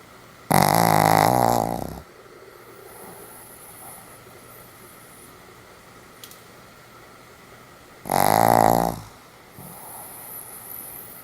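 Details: Sam, a Pomeranian in heavy sleep, snores twice about seven seconds apart, each a loud, grating, buzzy breath near a second long, with soft breathing and faint rustles in the quiet gap between.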